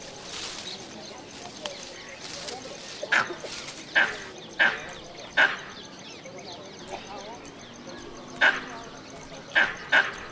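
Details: A Southern plains gray langur (Semnopithecus dussumieri) in India gives short, harsh, bark-like calls at irregular intervals over a busy background.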